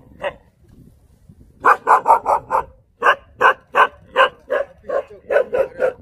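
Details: On Jindo, Korea, a Jindo dog barks steadily: one opening bark, a pause, then a long series of loud, punchy barks roughly two or three per second.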